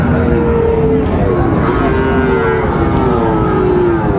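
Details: Sahiwal bull calves at the traditional Raniganj cattle market in Chattogram, Bangladesh, on a Monday with poor weather, 16 September 2024: long, drawn-out lowing moos, several overlapping, over constant crowd chatter.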